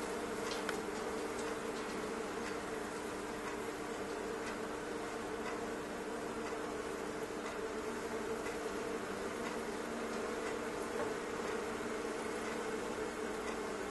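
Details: Thousands of honey bees crowded inside a fireplace stove, an indoor invasion. A dense, steady droning hum, low and unbroken, with scattered faint ticks and taps over it throughout.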